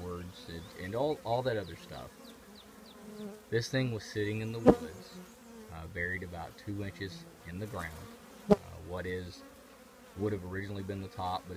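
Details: A colony of honey bees housed in an old trash can, heard as a deep, continuous hum broken into irregular bursts, several bees swooping past with wavering pitch, plus two sharp clicks.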